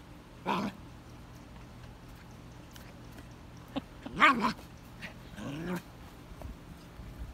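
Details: A Vizsla puppy, excited by his first red ball in his digging area, lets out three brief, whiny, slightly rising yelps a few seconds apart, the room otherwise quiet with faint hum.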